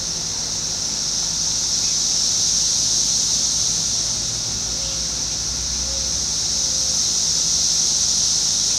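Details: 17-year periodical cicadas of Brood X emerging on June 5, 2021 in Fairfield, Ohio, singing constantly in a residential area backing onto woods; a steady, dense high buzzing drone swells slightly and fades, with faint low traffic rumble beneath.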